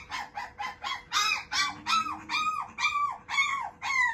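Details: Young male Shiba Inu, offspring of a JKC champion sire, yelping in a regular run of arched, squealing cries, roughly three per second. They get louder and more insistent as the sequence goes on.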